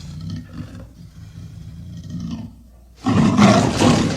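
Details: Amur leopard: soft, low growling and breathy rasps for over two seconds, a brief lull, then a sudden loud, harsh roar that carries to the end.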